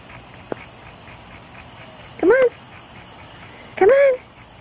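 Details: Dog in a backyard pool on a hot day; two loud, rising-then-falling whines about a second and a half apart, with a faint background hum.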